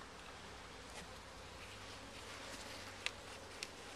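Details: Honey bees at a beehive during a first hive check, with some comb found: a steady low drone sits under broad hissing noise, with faint clicks near the end.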